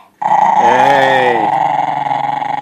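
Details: A male Italian Greyhound growls steadily and rumbles, refusing to give up his bone while told to drop it.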